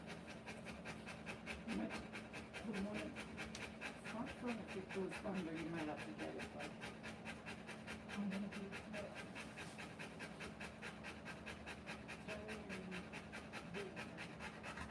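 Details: Mother Rottweiler in labour, giving birth to puppies, panting hard: rapid, even, breathy pants several times per second run unbroken throughout, with soft human voices murmuring underneath.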